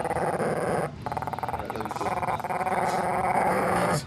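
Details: A female Shih Tzu growls while her owner pets her, wagging her tail at the same time. A rough, pulsing growl runs almost continuously for about four seconds, briefly dipping near the one-second mark, with household sounds behind.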